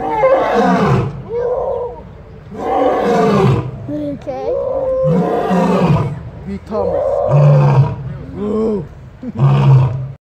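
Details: A lion at Kapama Game Reserve, South Africa, calls to round up his pride and mark territory: a series of deep, rasping roars in bursts of about a second, separated by short pauses.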